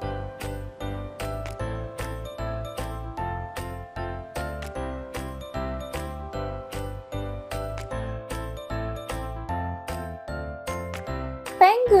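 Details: Bouncy children's music with a steady beat and bright melodic notes, ending in a brief rising swoosh; no animal voice is heard.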